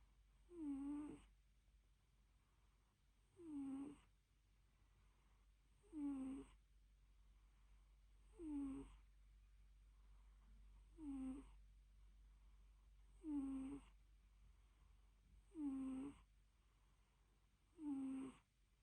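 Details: Cat asleep in a small room, breathing in eight evenly spaced squeaky snores, each a short whistled note with a slight dip, repeating about every 2.4 seconds against a quiet background hum.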